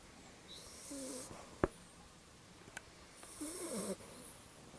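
A Labrador puppy snores in two slow, raspy breaths, each a low rumbling drone with a breathy hiss, about two seconds apart, with a couple of soft clicks between.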